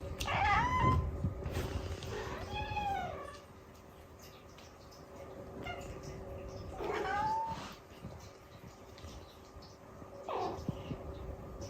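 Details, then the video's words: Cute meowing cat: several short, rising-falling meows, a few overlapping, scattered across the clip over a steady low hum and background noise. "可愛い猫の鳴き声集｜Cute Meowing Cats"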